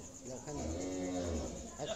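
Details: Friesian dairy cow at a farm, one of two cows just sold for delivery to Kushtia, gives a low, drawn-out, harmonic moo lasting about a second, with a man talking nearby and faint insect buzzing behind.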